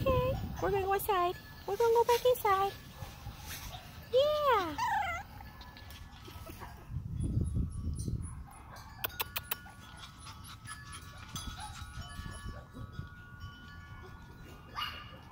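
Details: Shih Tzu puppies at a breeder in Mansfield, Texas, giving high, wavering whimpers and squeals: a run of arched, rising-then-falling cries over the first five seconds, then quieter stretches with scattered clicks and rustling.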